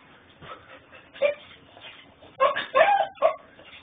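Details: Puppy whining in Houston, Texas: faint scattered whimpers, then a burst of short, strained, nasal yelping whines, four or five in quick succession over about a second, captured on a mobile phone.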